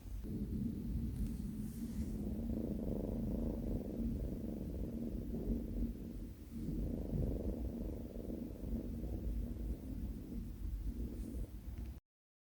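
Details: New kitten Binwoo, on her first day at home, purrs for about twelve seconds. The purr is a continuous low, pulsing hum with a brief dip in the middle, followed by silence.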